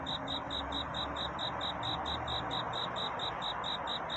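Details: Courting cricket at night toward dawn, quick repeated high chirps, three to four per second, partly blurred by a loud broad hiss beneath.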